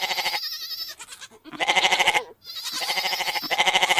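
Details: Goat sounds from a farm: dense, continuous tremulous bleating with strong pulsing, two brief breaks, calls running into one another.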